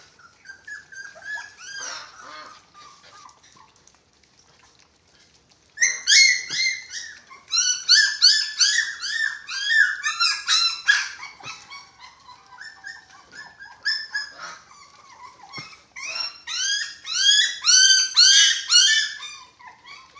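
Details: Six-week-old dachshund puppies at eating time, with a white Japanese Spitz among them; overlapping high whiny yelps, quiet at first, then a dense chorus of rising and falling squeals from about six seconds on.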